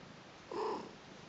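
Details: Newborn Persian kittens, a brother and sister, on their first day with their mother; the family is named Lucy and Kimba. A single short tonal mew, about a third of a second, slightly rising then falling, over faint steady room hiss.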